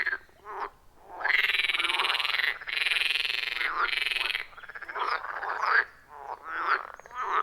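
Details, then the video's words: Forest pond frogs in a loud rhythmic chorus, recorded with iPhone 14 Pro plus Shure MV88+; bursts of grating, pulsed croaks rise and fall, broken by short quiet pauses. "30 Minutes of Frog Sounds at a Forest Pond"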